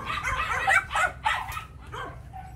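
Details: Phu Quoc Ridgeback, a muscular six-month-old yellow female with a long ridge, at a Saigon kennel. A few rough, mid-pitched barks spaced roughly half a second apart, fading to a softer yelp at the end.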